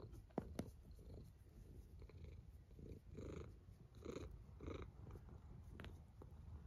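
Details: Sleeping domestic cat snoring softly, low rumbling breaths rising and falling in pulses about once a second, with faint clicks and light rustling nearby.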